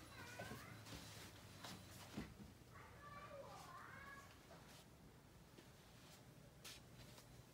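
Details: Domestic cat indoors giving a couple of short meows, one early and a drawn-out wavering meow near the middle, against background human speech and room noise.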